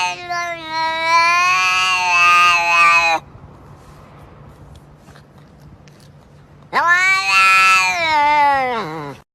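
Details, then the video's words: Domestic cat letting out two long, loud, drawn meows about three seconds each, the second rising then sliding down at its end, with a quiet pause between. "Cats Make Funny Sounds"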